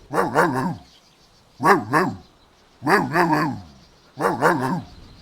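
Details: Golden Retriever puppies at play outdoors in a green meadow; bursts of three quick, rough woofs, each burst repeated about every 1.3 seconds, against a quiet background.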